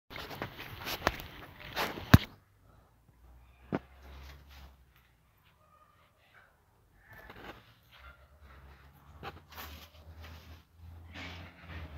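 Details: Quiet indoor rustling, sharp clicks, footsteps and faint murmured speech over a low hum, with no animal call.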